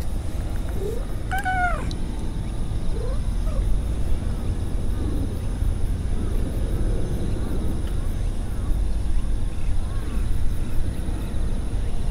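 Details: Stray cat purring while meowing, with one loud, strongly overtoned meow near the start, a few soft short mews afterward, and steady low purring throughout.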